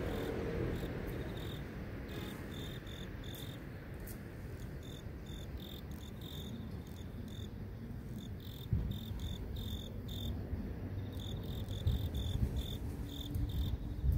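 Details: Grass insects calling in the city: a high, thin chirping pulsed in an uneven steady series over a constant low rumble of urban traffic, with a few louder thumps near the end.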